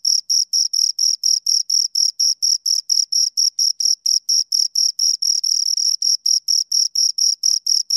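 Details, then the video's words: Two crickets chirping steadily, high-pitched pulses repeated roughly four times per second with a clear upper band, no other sounds in the background. "Two Crickets Chirp Sounds for Two Hours"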